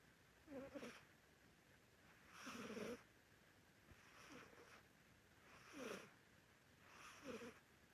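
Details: Sleeping Korean Shorthair cat snoring: five soft, breathy rasping snores at roughly one-and-a-half-second intervals, each a short noisy puff with a faint low tonal edge, in a quiet room.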